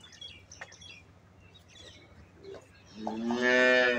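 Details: Freshly calved Jersey Friesian cross cow with her calf: after a quiet stretch of faint background noise, one loud drawn-out moo with rich harmonics begins about three seconds in and holds to the end.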